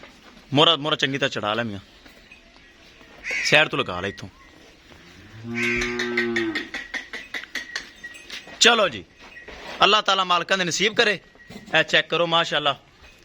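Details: Friesian cross cow offered for sale in Pakpattan Sharif, Punjab, Pakistan, giving one long, low, steady moo midway, surrounded by bursts of men talking nearby.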